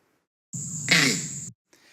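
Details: Male monkey giving its leopard alarm call, a 'krak', played back from a recording; males call mainly to warn of danger. A single short, harsh, explosive bark stands out over a steady hum and a high whine.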